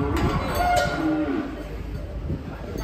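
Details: Cow unloaded from a truck ahead of a cattle contest in Indonesia, giving a low, drawn-out moo with a steady tonal hum, over background chatter, vehicle rumble and the clank of a bell.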